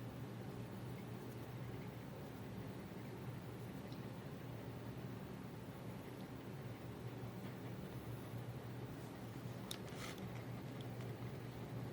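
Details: Low steady hum and faint rustling in a quiet indoor space, with a few brief soft clicks and no animal voice.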